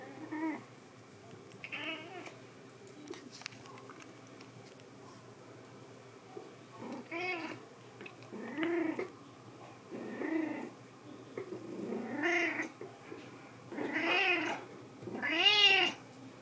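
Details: Domestic cat stretched flat into a "cat strip" in an air-conditioned house in summer. After several quiet seconds, it gives a series of harmonic, bending meows, each about a second long and coming every one and a half to two seconds, growing louder toward the end.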